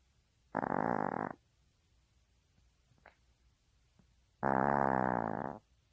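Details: Maltese pet dog snoring: a raspy snore, a pause of about three seconds with small clicks, then a longer, louder rattling snore in a quiet room.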